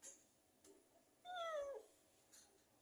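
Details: Persian cat visiting, a single falling meow in the middle, clear and tonal, in a quiet indoor space.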